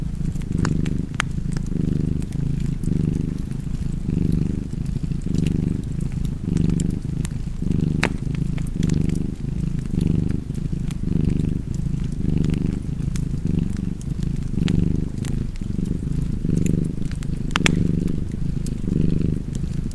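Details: Cozy cat purr by a fireplace: deep continuous rumble pulsing in breath cycles about every second over twenty seconds, with occasional bright snaps of burning wood.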